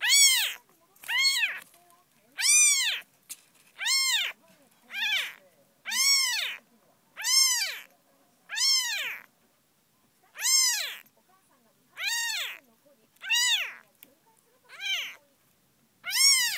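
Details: Young kitten named Tsubomi, eyes just beginning to open, late May: a steady run of high, arched mews, each rising then falling, repeated roughly every second or so with short silent gaps between.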